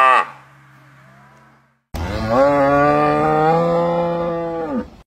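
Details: A cow in the village gives a brief call, then after a pause a long, steady, full-throated moo of about three seconds, dropping off at its end. The setting is a countryside dairy farm.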